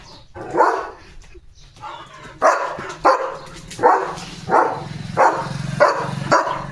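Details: Domestic German Shepherd guarding the gate in the morning, barking at a passing dog to keep it off his area; a brief pause with a woman talking, then a run of six strong barks spaced about every 0.7 seconds over a low hum.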